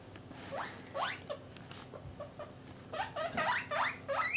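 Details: Caged pet guinea pigs, parent and young kept apart by sex, make scattered upward-sliding squeaks, quieter at first and then bunched into a quicker burst near the end, over a low background hum.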